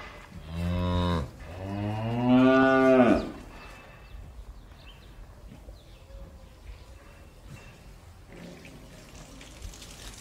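A cow gives two deep, drawn-out moos, the second louder and rising before it breaks off.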